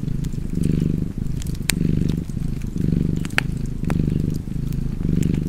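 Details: Relaxing cat purr alongside a fireplace: a deep, even rumble breathing in and out roughly once a second, with scattered sharp crackles of fire in the background.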